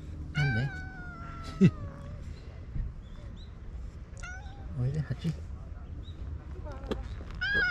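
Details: Stray cats in a spring fight, Tetra battling while Karin and Shiro look on. A drawn-out yowl glides downward near the start, then short harsh cries follow, with a person talking quietly between them.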